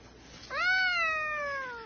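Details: A pet cat indoors gives one clear, drawn-out meow that rises quickly and then slides slowly downward, lasting under one and a half seconds, in a quiet room.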